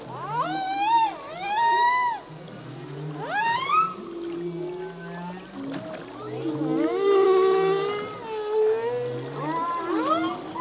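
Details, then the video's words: Male humpback whale song, full length and underwater: repeated rapid upsweeping whoops with strong harmonics, trading with lower buzzy moans and a wavering high wail near the end. "full length humpback whale song"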